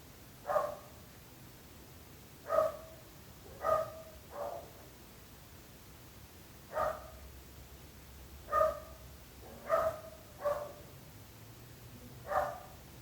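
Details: Neighbours' dogs barking: nine sharp, ringing barks in irregular spacing, some in quick doublets and others after gaps of two seconds, each bark short and rich in harmonics, with a low hum underneath.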